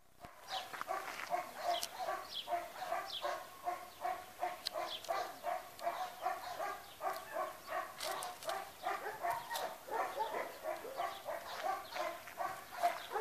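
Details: A chocolate Labrador Retriever gives a steady run of quick, fairly high yelping barks, several each second.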